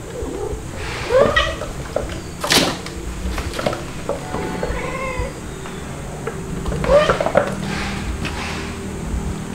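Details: Playful domestic kittens, white Dalmatian-spotted Stuart and black Lunar, with their mothers indoors; short rising-falling mews at about one, four and seven seconds over a low room hum, with faint thuds and rustling.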